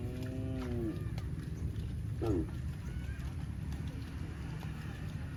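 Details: Cows running in the fields: a drawn-out, tonal moo of about a second that bends downward at its end, followed by a shorter, falling moo about a second later, over a steady low rumble of outdoor noise.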